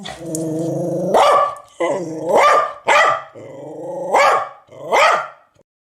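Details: Dog letting out five deep, growling barks at irregular intervals, each beginning as a rumbling growl that swells into a loud, harsh bark, then fading to silence at the end.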